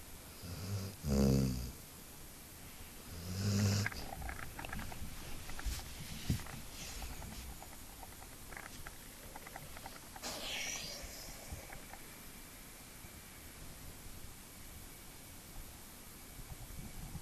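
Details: Route the dog sleeping soundly after play, giving two short, low, throaty snores early on, then only quiet room hiss and faint rustling for the rest.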